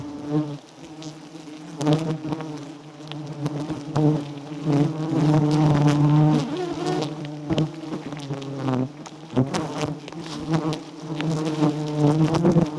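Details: Loud, continuous humming from a swarm of wild giant honey bees at a small, honey-rich nest. The drone holds a steady low pitch, rising and dipping slightly, with knocks and scraping mixed in.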